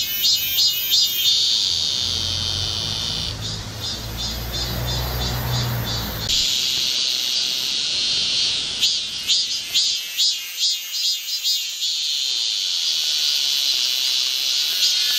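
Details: Cicadas in midsummer at Galsan, Gocheok-dong, Seoul, fill the air with a loud, shrill, pulsing buzz that swells and fades in waves.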